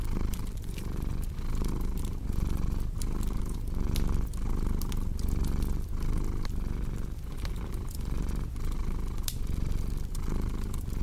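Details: Cat purring in a low, vibrating drone that pulses roughly once a second, while bright crackles of burning wood snap over it.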